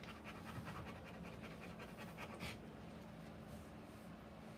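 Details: Rottweiler in labour, giving birth to puppies, panting fast and rhythmically, short airy huffs following one another without pause against a soft background hum.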